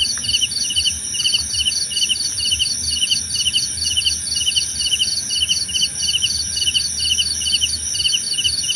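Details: Crickets calling in a calming nature soundscape: bright, rapid chirps about twice a second, each made of several fast pulses. A continuous high-pitched drone and a quiet, uneven low rumble run underneath.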